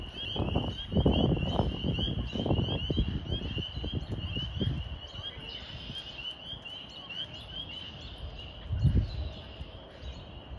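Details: Spring peepers calling in early spring, many high, piercing peeps overlapping into a steady shrill ringing, with local birds also calling.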